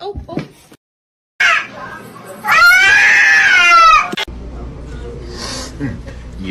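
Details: Kitten meowing: one drawn-out meow about one and a half seconds long that rises and then falls. People talk and laugh before and after it.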